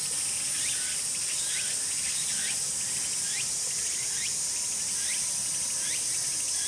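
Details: Shrill, high cicada buzz from a Tsukutsuku-boshi, with a few brief pulses early on, as part of a complete calling sequence; repeated lower chirps sound faintly throughout.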